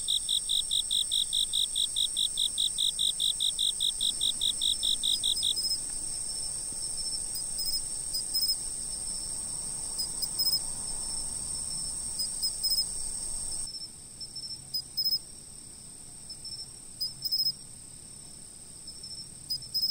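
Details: Insects calling at night, recorded with a fixed camera: a fast, rapid series of even, high chirps for the first five seconds, over a steady shrill high trill and fainter intermittent chirping that continues throughout.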